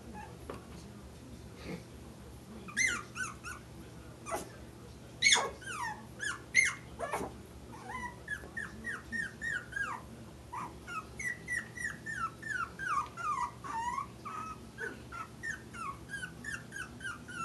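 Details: Four-week-old puppies playing: high squeaky whimpers and yips, some falling, in scattered bursts that grow busier after eight seconds, with a few louder thumps and clicks.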